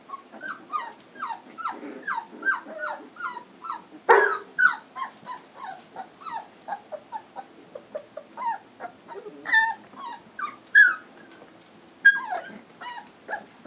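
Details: Standard Poodle puppies at three weeks old, home raised in Lodge Grass, Montana, making a rapid chorus of short, high squeaks and whimpers from several pups, with a louder yelp around the four-second mark.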